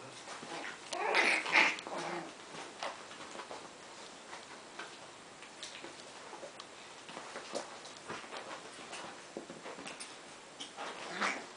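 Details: Lessien Border Terrier pups at play with their mother Elfin, indoors: a sharp, high yelping burst early on, followed by scattered soft squeaks, scuffling and light clicking from the playing dogs.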